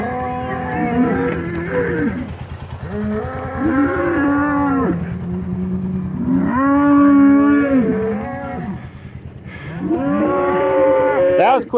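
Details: Polled Hereford bulls, two hornless bulls, scuffling as they get re-acquainted after breeding season. Four long, wavering moos of about two seconds each come roughly every three seconds, rising then sagging in pitch, over a constant low rumble.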